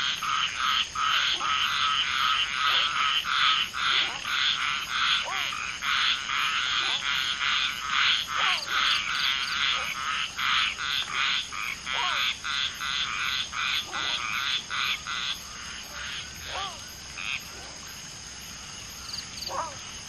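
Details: A dense frog chorus around mating common tree frogs (Polypedates leucomystax), one female spawning with two males: rapid overlapping buzzy croaks, over two per second, thinning out after about fifteen seconds, with scattered descending chirps.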